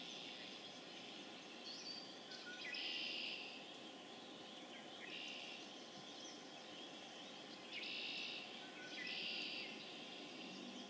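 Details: Spring peepers (Pseudacris crucifer) calling in a spring chorus on April 27, 2011, in Harvard, Massachusetts; dense high shrill peeps overlap continuously, swelling into louder waves around three and eight to ten seconds.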